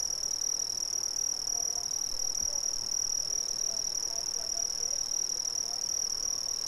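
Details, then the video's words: Brazilian crickets fill the air with a steady, high, shimmering trill that never stops, a bright ringing tone with a fainter higher overtone, over a soft low rumble. "Brazilian Crickets"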